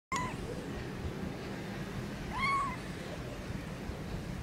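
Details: Newborn kitten meowing: a short, clear meow at the start, then a longer, louder meow that rises and then falls, over a steady low background hum.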